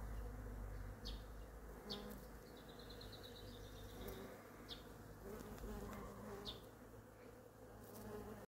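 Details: A bumblebee at work among flowers gathering nectar gives a low, steady droning buzz, with a few faint bird chirps above.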